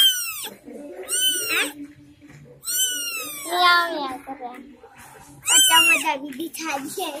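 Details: A litter of three young kittens born in a house, crying with about four loud, high, down-curving mews spaced a second or more apart, quieter squeaks between them.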